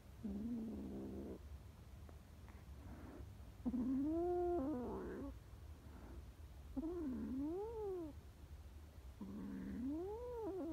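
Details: Frightened homeless kittens calling with plaintive meows, arched rising-falling cries interspersed with shorter flat mews, roughly every two seconds against low rumbling background noise.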